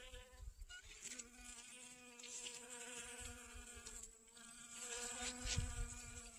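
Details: Honey bees collecting pollen from sunflowers in a garden on 25 August 2021. A steady, low droning hum with stacked harmonics runs through the whole clip and swells slightly near the end.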